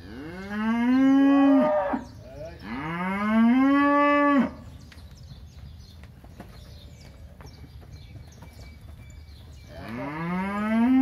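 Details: Crossbred heifers in the São José do Rio Preto region of São Paulo state, Brazil, lowing: three loud, drawn-out moos, each rising and then dropping away, with quiet farm noise between them.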